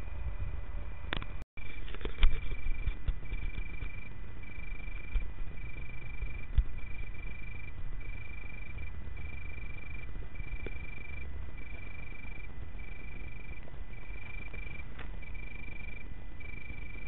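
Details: Singing male Italian tree crickets in Berlin on 24 August 2013; a soft, steady pure trill repeated as phrases of about one second with short gaps, over a constant low rumble and a few clattering knocks early on.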